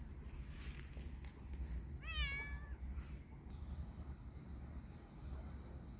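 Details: A kitten playing and walking in a yard gives a single short meow with a bent, wavering pitch, heard over steady low rumbling background noise and faint clicks.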